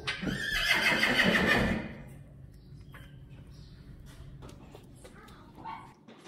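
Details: Friesian horse at a herd stable while a mane is braided and treated: a loud, shaky whinny lasting about two seconds, followed by quieter background clatter and faint voices.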